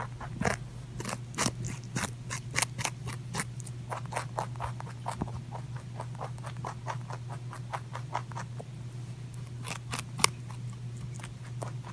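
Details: Close, dry crunching clicks come in quick irregular bursts, like something small nibbling through crisp food. A steady low hum runs underneath throughout, and there are no calls or voices.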